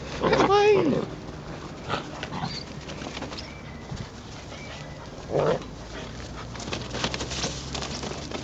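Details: Northern Inuit Dog, the mother Tiva, playing with her puppies. A loud high whining yelp bends down in pitch at the start, then a shorter vocal burst comes about five seconds later, with human voices and background noise in between.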